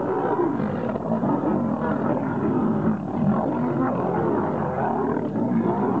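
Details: Two wild lions fighting to become king: a continuous, dense stream of deep rasping snarls and growls with rich harmonics, no pauses across six seconds and no other clear sounds.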